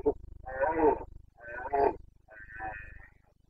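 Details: Carpathian stag in the rut, Bucovina mountains, 2022 breeding season: three hoarse moaning roars over a steady low pulsing throb in the background, the last roar thinner and fading.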